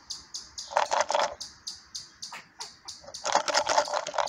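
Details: On 8 June 2022 a young squirrel reacting to a strange noise gives quick, repeated high chattering notes broken by harsher, noisier bursts.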